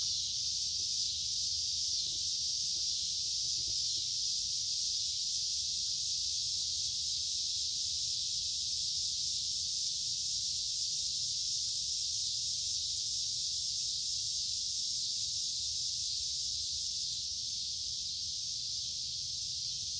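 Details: Loud cicada chorus in woods by a creek during the middle of summer, warm and humid; a constant high sizzling buzz holds steady for the full stretch, with a few soft clicks early on.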